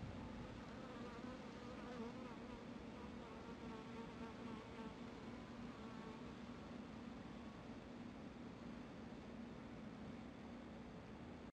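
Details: Western honey bee worker licking sugar syrup on a transparent feeder, extending and retracting its tongue; a steady, droning hum with a wavering low tone and faint overtones runs throughout, continuous and even.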